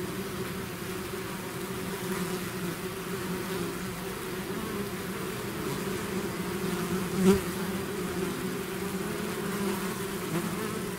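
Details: Swarming bees leaving their hive make a thick, even hum of countless wings, a low steady drone with a brief louder pass of one bee near the middle.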